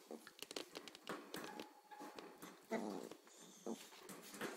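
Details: A young Corgi pair, an 8-week-old pup and a 6-month-old, indoors. Quiet scuffling is punctuated by two short, tonal yips or whimpers, with faint room noise around them.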